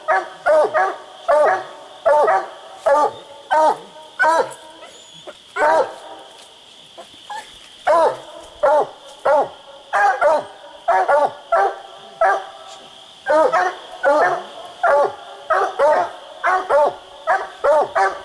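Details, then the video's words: Treed coonhound on a raccoon hunt, barking hard and repeatedly, roughly 87 barks a minute in uneven bursts with short pauses, over a continuous thin high hum. "split treed coon hunting"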